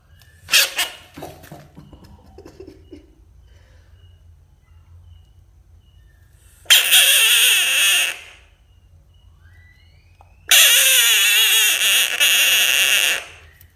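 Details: A frog screaming: a few short harsh cries early on, then two long, loud, broadband screams of one to two seconds each, separated by quiet room background.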